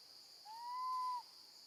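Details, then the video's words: One drawn-out, pure-toned wail from a baby female monkey separated from her mother and staying with her grandma. It rises gently, holds, then drops off at the end, with a steady high-pitched hum behind it. "Baby monkey screams loudly, calling for her mom when left alone with her gentle grandma"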